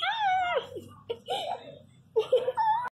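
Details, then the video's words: Miniature Pinscher puppy Rex crying loudly indoors after his second vaccine injection: a long, high, falling whine, then short whimpering yelps rising and dipping. A person's voice is faintly audible in the small room. "filhote chorando alto"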